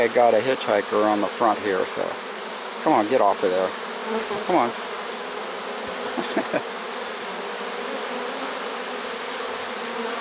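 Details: Honey bees from a swarm caught in a trap at summer's end, September 2019, making a constant low drone; short spoken phrases come early, and steady humming fills the rest.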